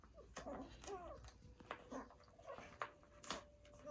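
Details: Day-old poodle puppies nursing, finding the nipple while still blind; thin, curving squeaks and little whines rise and fall in quick separate bursts amid soft rustling and snuffling.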